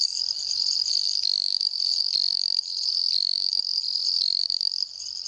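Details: Dendropsophus microps treefrog calling in Jaraguá do Sul, Santa Catarina, Brazil: a high, continuous insect-like trilling advertisement call broken by short clicking pulses every second.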